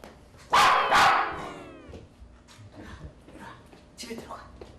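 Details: Pomeranian dog barking loudly at strangers visiting a home in Korea: two sharp, loud barks in quick succession, then quieter household noise and faint voices.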